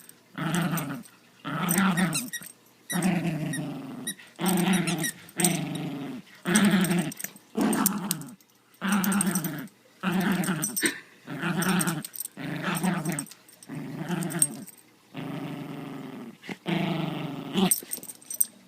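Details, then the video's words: During a tug-of-war game, a domestic dog makes repeated gravelly growls, roughly fourteen short bursts with quick gaps between them. The growls are low and rumbling, with occasional squeakier edges. "Growling Dog"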